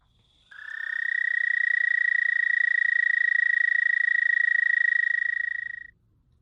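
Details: An American toad in a wetland setting gives a long, steady, high musical trill of about five seconds. It is a monotone with very rapid pulses at an even pitch, far faster than bird trills. Nothing else is heard.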